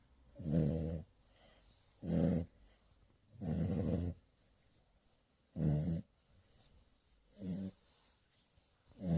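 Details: Snoring French Bulldog puppy, asleep during morning cuddles, gives six rough, throaty snores at a steady rhythm of about one every one and a half seconds, some slightly growl-like, in a quiet room.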